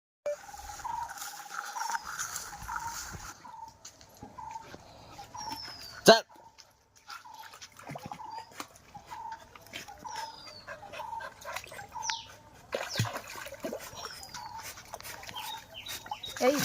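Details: Labrador Retriever named Mixxi, around jumping into water, gives short, level, high whines repeated about every half second, with a sharp knock near the middle and faint human voices in the background.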